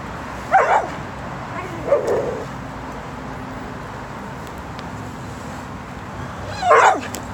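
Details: Bubbles, a female dog, stalking a squirrel that sits motionless on the side of a tree ahead; three short high yipping whines, at the start, around two seconds and near the end, over quiet outdoor background.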